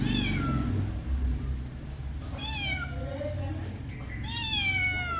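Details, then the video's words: Pet cat giving loud, clear meows that slide downward in pitch, three calls within five seconds, over a low humming background. "my cat original sound and reaction"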